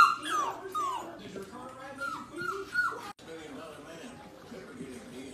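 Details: Labrador Retriever puppies whining: a string of high, falling whimpers in the first three seconds, then softer murmuring and a few faint yips with human voices in the background.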